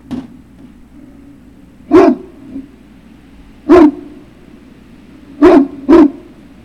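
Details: Great Dane puppy recorded at Puppy Hill on 3 June 2019 in the late afternoon, giving four sharp, loud barks, a pair spaced well apart and then two in quick succession, over a steady low hum.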